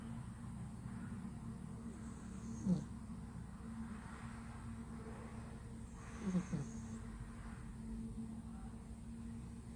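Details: Flat-nosed male cat sound asleep, snoring loudly: two short, harsh snorting breaths roughly three and a half seconds apart stand out above a constant low droning hum.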